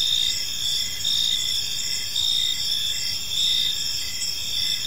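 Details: Crickets chirping on an evening in a peaceful park: steady high-pitched trilling bands overlaid with pulsed chirps repeating about every second, plus a soft low background hum.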